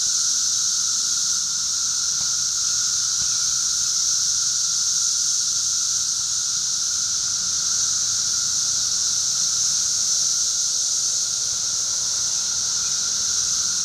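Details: Thirteen-year cicadas in a backyard in Charleston, Illinois, on June 1, 2011: a dense, unbroken high-pitched droning chorus holding steady throughout, with a thinner steady whine beneath it.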